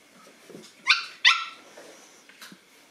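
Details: Boston Terrier puppies aged nine weeks meeting a toy; two quick high-pitched yapping barks in close succession, with soft shuffling and a faint short yip afterward.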